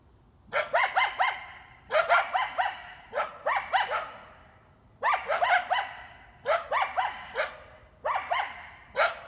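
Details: At night on Canyon Road near the Griffith Park entrance, a coyote pack defending its territory barks in tight runs of three to five harsh yipping barks, each run about a second and a half apart.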